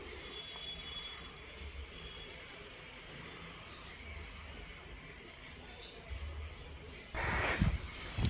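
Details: Low background hum and faint rumble, ending in a short burst of broadband noise like handling or a snort.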